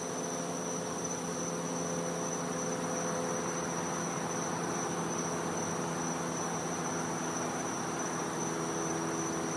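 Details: Florida back-yard cicadas on a winter night: an unbroken, high, thin tone sounds steadily from start to end, with steady hiss and a low hum beneath it.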